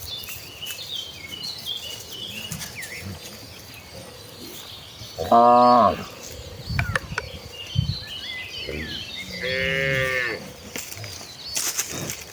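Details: Herd of tame cattle heading to the fields to feed in the countryside; two clear harmonic moos around the middle, one short and one longer, with birdsong and scattered knocks and noise around them.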